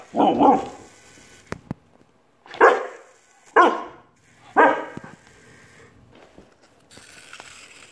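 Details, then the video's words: Puppy barking at a toy, growing brave: four sharp barks, the first a quick double, the rest spaced about a second apart, with quiet between and a faint rustle at the end. "Puppy Gets Brave with YELLIES Toy"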